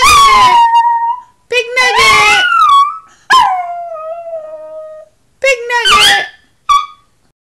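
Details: Chihuahua; howling whine; calling for another dog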